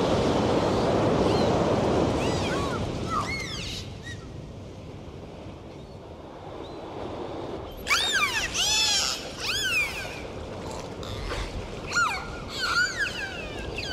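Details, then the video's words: Dolphin whistles over steady rushing water noise: a few soft rising-and-falling arcs early on, then a dense burst of loud, overlapping looping whistles, followed by several more arched whistles toward the end. "Dolphin sound"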